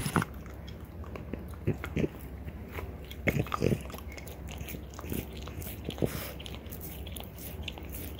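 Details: Mother and daughter French Bulldogs working on deer antler in a small room, intermittent crunching bites and softer rasping gnawing, a few louder cracks in the middle.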